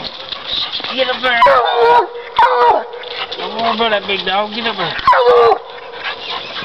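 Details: Bluetick Coonhound, a coon dog treeing; loud, wavering bawls with rich harmonics, several drawn-out howling notes bending up and down in quick succession, separated by short gaps.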